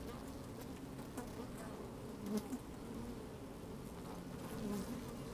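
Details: Inside an opened beehive on a sunny, slightly windy day, honey bees move about and hum continuously; a low droning band holds steady while brief sharper buzzes swell around two and a half and near five seconds, with faint scratchy crackle.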